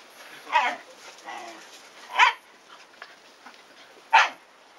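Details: Play barking from a Shiba Inu household, with puppies aged 104 days romping around their father in the garden and the mother seemingly telling them off. Three loud, abrupt barks come roughly every two seconds over a low background hiss.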